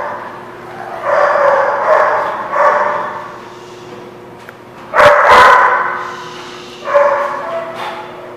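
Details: Barking at The Barking Lot on 17 October 2016: muffled, throaty woofs early on, then a louder sharp bark midway and another a couple of seconds later, with steady low hum throughout.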